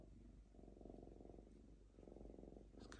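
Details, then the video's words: Contented lynx Diva purring indoors while ripping paper: two long bouts of throbbing low purr separated by a brief pause, with a crisp tearing click at the very end. "Мурчание рыси"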